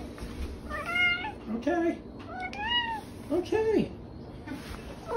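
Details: Dakota, the OK Cat, a pet cat indoors, gives a run of short meows that sound like "okay", each with a rising then falling bent tone, about five in quick succession with a person's voice nearby.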